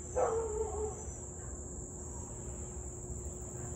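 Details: Husky in Louisville, barking and howling for nearly 30 minutes at 6:24 pm on 3 August 2021, a nuisance-barking case: one short, harmonic bark-like cry tapering off, over a steady high electrical whine and low rumble.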